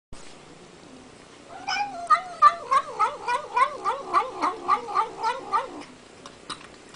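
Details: Domestic cat making funny noises while eating: a run of about fourteen quick wavering mews, each a short undulating tone with rich harmonics, repeated roughly three times a second, starting after a quiet lead-in with a click near the end.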